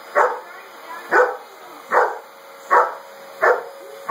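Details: Chocolate Lab going wild at a vacuum sweeper he sees as the enemy: five loud, evenly spaced barks under a second apart over the constant whine of the machine.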